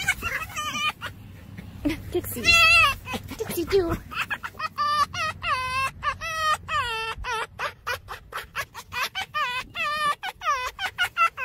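A fox gives a fast run of chattering, yelping notes that sound like laughter.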